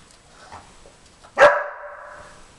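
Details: A 4.5-month-old Briard named Jimmer, heard in the background while Queen the German Shepherd sniffs for treats under tennis balls, gives a single sharp bark that trails off into a drawn-out, tonal whine.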